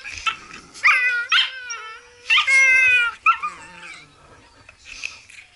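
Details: Playful Blue Heeler vocalizing: a few loud, clear, harmonic howl-whines, each about half a second to a second long, some held flat and some dropping, then trailing off into quieter whimpers.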